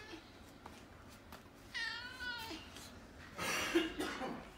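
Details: Choco, a brown-and-white house cat, begging for its meal and nuzzling feet when hungry; one clear drawn-out meow with a slight wavering fall, then a breathy rasping sound, with soft taps and room hum.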